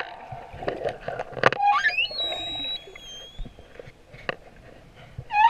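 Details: Male humpback whale singing off Moorea: rising and falling whistled tones, upswept squeals and high steady notes, with clicks and a low moaning band underneath.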